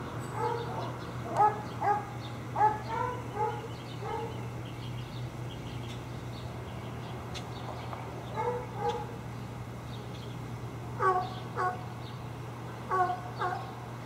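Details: Barking from tied dogs by a dump on Wright Street: bursts of repeated sharp barks with pauses of a few seconds between groups, set against a constant low electrical hum.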